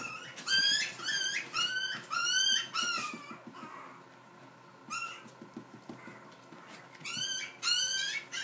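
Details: Miniature Dachshund indoors giving high, wavering whines in quick bursts of three or four, each note sliding upward then falling, with short pauses between groups and faint room noise behind.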